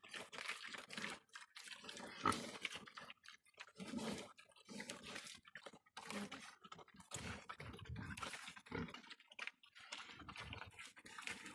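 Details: Domestic pigs grunting and snuffling in rough, irregular bursts of about half a second to a second, separated by short gaps, with crunching, chewing-like noises between the calls.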